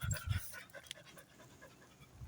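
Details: Sassy, an imported Labrador Retriever puppy, panting: soft breathy low bursts at the start and again at the end, with quiet rustling in between.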